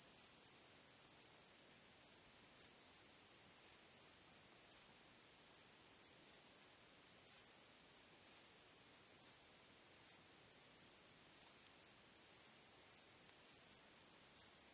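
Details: Chirping crickets at night make a constant piercing high trill. Sharper chirps stand out every half second to one second, over a quiet background.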